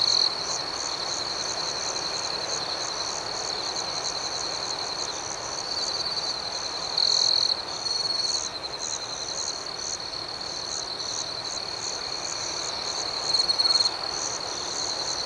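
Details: Nighttime cricket chorus, a continuous shrill pulsing trill that holds steady for the whole stretch, swelling into short louder bursts around seven and thirteen seconds.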